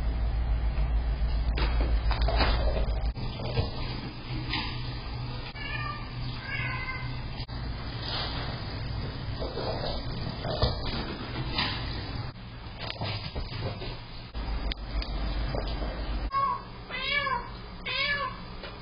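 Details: Domestic cats left alone at home, caught on an indoor cat camera: several drawn-out, wavering meows around the middle, then a quick run of rising meows near the end, over the steady rush of a clogged water fountain.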